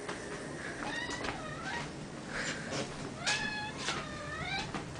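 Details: Male Maine Coon cat (Felis catus) meows over and over with insistent rising-and-falling cries, letting his owner know he is hungry and asking to be fed.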